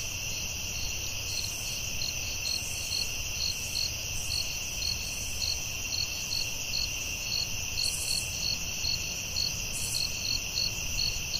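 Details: Crickets calling at night in a forest: a continuous high, shrill trill layered with evenly spaced bright chirps about twice a second, plus brief hissy bursts above and a low rumbling background.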